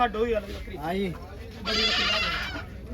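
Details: Goats at the Sahauli goat market, held every Sunday, one giving a wavering bleat between men's bargaining voices, with a burst of broadband noise midway.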